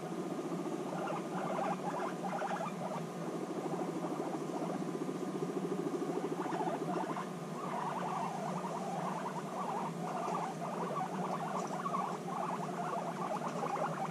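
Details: Reunited after half a year apart, guinea pigs bond intensely, giving dense bursts of rapid buzzy pulses that swell and fade in waves over a steady background hum.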